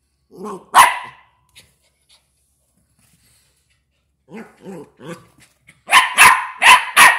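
A West Highland White Terrier puppy gives soft, whiny yips and then sharp, high barks.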